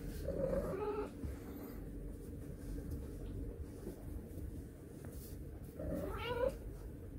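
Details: Domestic cat giving two short, tonal meows, one at the start and one near the end, each under a second, over a steady low rumbling background noise.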